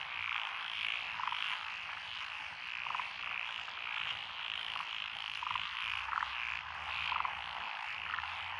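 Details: Dense chorus of frogs in lotus rice fields, Echizen, Fukui, Japan, June 12, 2021; pulsing croaks swell in regular waves about twice a second, with sharper clicking rattles punctuating the constant high background chorus.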